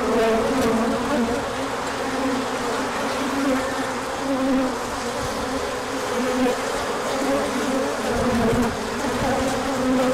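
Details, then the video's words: Swarm of honeybees making an orientation flight in spring sunshine after a cold spell, pollen coming in later; continuous layered humming with individual bees' pitches sliding up and down through the drone. "Large Orientation Flight."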